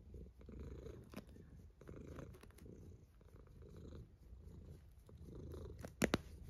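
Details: Sleeping cat snoring: soft, deep rasping breaths in a regular pulse, each lasting well under a second, with a brief sharp click near the end.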